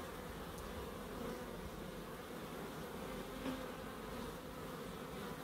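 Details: Small wildlife garden in Crookes with bees: a level, continuous buzzing drone, one short brighter buzz rising out of it midway, plus two faint sharp ticks.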